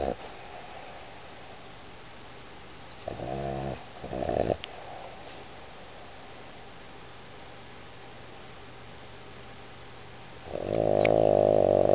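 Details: Sleeping Boston Terrier Iggy gives short fluttering snorts around the third and fourth seconds, then falls quiet before a loud, steady rasping snore begins near the end.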